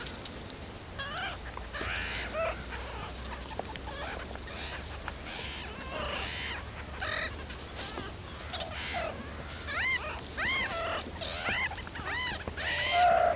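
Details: Young meerkats venturing outside the burrow for the first time, calling loudly. Several pups give overlapping high chirps, trills of arched peeps and squeaky cries that grow busier and louder toward the end.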